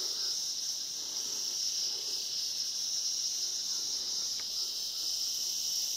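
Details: Cicadas in the background at the start of the Kanchenjunga trek: a steady, unbroken high-pitched shrill drone holding one even band, with no other clear sounds.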